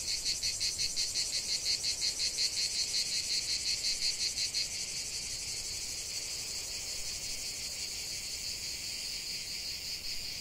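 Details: Chorus of cicadas in a lavender field, a harsh high buzz that pulses rhythmically about three times a second for the first half, then settles into an even, continuous drone.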